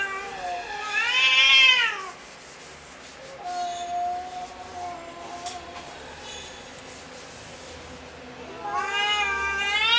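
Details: Angry cat in a fighting mood, letting out a loud rising-then-falling yowl, a quieter low drawn-out moan in the middle, then another harsh wavering yowl building at the end.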